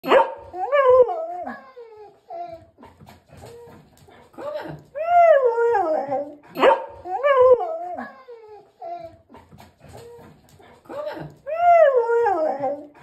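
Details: A female English Springer Spaniel, described as a talking dog, makes drawn-out, wavering howl-like yowls that rise and fall like talking.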